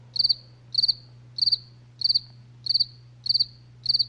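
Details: Crickets at night give high, pulsed chirps, each a quick trill of about four pulses, repeated steadily.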